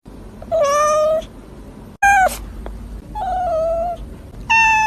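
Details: Hungry tabby cat meowing loudly indoors, four clear meows about a second apart, drawn-out and tonal, one short and sharply falling, others held level with a slight wavering pitch.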